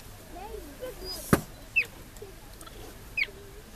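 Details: Cheetah calling its cubs: two short, high, bird-like chirps that slide downward, about a second and a half apart, with a sharp click between them and quiet human voices underneath.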